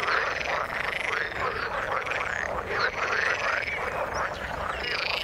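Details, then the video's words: Many frogs croak together in the water, trading short rattling notes and brief rising squeaks in a thick, continuous chorus at steady loudness. "Frog sound in the water"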